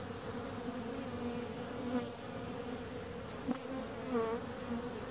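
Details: Continuous droning hum of bees, with a few individual insects sweeping close and briefly rising then falling in pitch over the steady background buzz.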